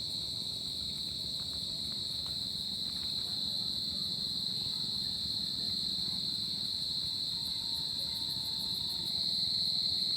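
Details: Summer-night crickets keep up an unbroken, piercing high trill at an even level, with a faint low rumble of background noise underneath.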